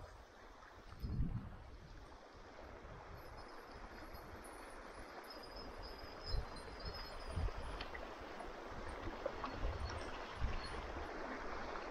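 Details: Steady rush of flowing stream water outdoors near Ketchum, Idaho, with low rumbling thumps and gurgles but no animal voices.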